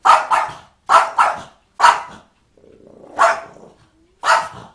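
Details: A dog imitating cat noises gives six loud, rasping, yowl-like bursts, some paired in quick succession, with a softer drawn-out whining sound between them near the middle.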